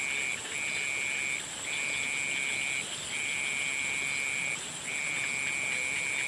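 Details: Frogs calling at sunset: long, steady, high trills held for about a second at a time with short breaks, over a constant thin high-pitched hum from other callers.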